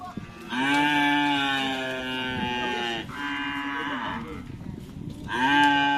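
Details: Bull racing cattle in training for karapan sapi at Asemanis, Pamekasan, giving repeated loud, rich moos. The first lasts over two seconds, followed by a shorter one and a third that starts strongly; background chatter is heard between them.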